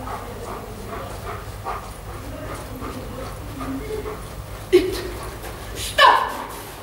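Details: Giant Schnauzer giving two short, sharp yelping barks near the end, the second louder and higher, after a stretch of soft whining over a steady low hum and faint voices.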